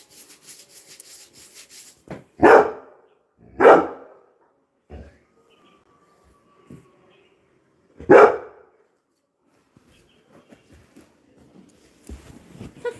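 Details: Coco, a Labrador Retriever, barking at arriving visitors: a pair of sharp barks a second apart, then a third bark after a pause of about four seconds, with quiet rustling and knocks around them.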